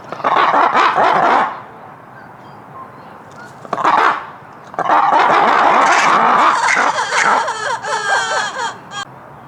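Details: Lemurs making an early morning wake-up call: loud, harsh, chattering bursts with rapid pulsed yelps, in roughly one-second outbursts separated by short pauses, some later notes wavering and squealing.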